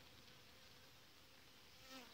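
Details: Honey bees of a queenless colony without brood, in an apiary being prepared for fumigation treatment against varroa, late July; a steady, faint, broadband hum with no clear pauses and a brief brighter tone near the end.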